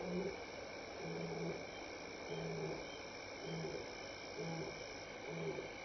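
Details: At Elephant Plains Game Lodge, South Africa, on May 26, 2011, between 6 and 7 PM, a passing lion gives a series of loud, deep, short grunting roars about once a second as contact calls, answered by return calls.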